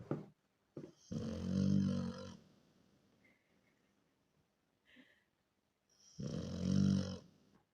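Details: Miranochka the Rottweiler snoring in her sleep indoors: two drawn-out, rumbling, rattling snores about five seconds apart, with faint wheezy whistles in the quiet gap.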